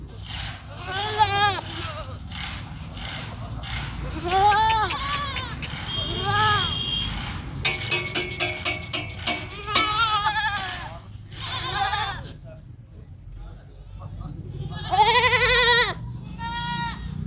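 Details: Sirohi goats at Pooja Goat Farm in Pushkar, Ajmer district, Rajasthan, bleating again and again in wavering, nasal cries with short gaps between them. A run of sharp metallic clanks sounds midway, and a steady low rumble runs underneath.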